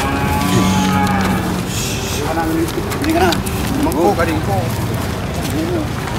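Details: A jumbo cow being unloaded at a market gives a steady, low, droning moo lasting under a second, then further bending, wavering calls, with a busy crowd and faint voices behind.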